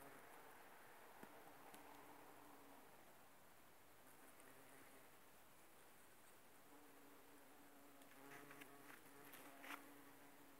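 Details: Bumblebees working aconite flowers: a soft, low droning hum that swells and fades as insects fly near and away, with faint clicks and a brief brighter rustle near the end.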